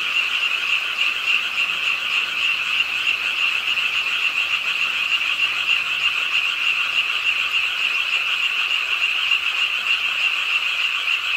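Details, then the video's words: Many frogs croaking by a pond in Ingye Art Park, Suwon, on a rainy late night in a city park: a dense, steady chorus of rapid rattling croaks, over 200 pulses a minute, merging into an unbroken buzzy wall of sound. "비오는 밤 개구리소리"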